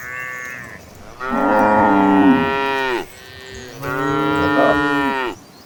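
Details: Gentle cattle of a herd running to green pastures, two long drawn-out moos, each holding steady and then falling away at the end, the second slightly higher and rougher.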